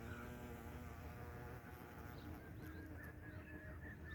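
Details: A wild bumblebee in North India gives a low, steady droning buzz that hums on without a break.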